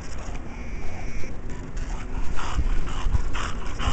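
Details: English Bulldog named Šunka, out of breath after running around in the snow during the 2010 D.C. Snowpocalypse; hoarse, breathy panting bursts come about twice a second over a steady low rumble of handling noise.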